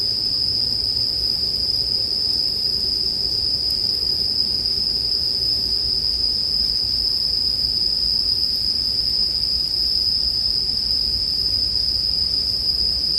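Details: Steady bright ringing from bell crickets runs the whole length, unchanging in pitch and volume, layered over a soft, muffled low crackling like a campfire.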